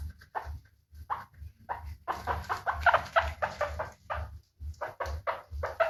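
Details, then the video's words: Guinea pig giving short, rapid bursts of squeaky chirps, clustered in quick runs with brief pauses between groups, over a steady low hum indoors. "Efeito sonoro de porquinho da índia"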